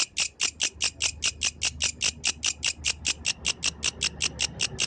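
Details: At night a yellow grasshopper stridulates in a rapid, even train of about 25 sharp, sizzling clicks, roughly five each second, bright and high over a quiet, low-humming backdrop.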